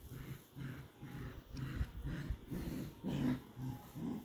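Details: Border Collie puppies playing tug of war indoors, low rumbling growls pulsing about twice a second through the play, with snorts between bursts.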